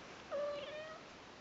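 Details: Newborn Persian kittens, a brother and sister named Lucy and Kimba, on their first day with their mom; a single clear mew starts abruptly, holds an even pitch, then fades with a faint upward turn.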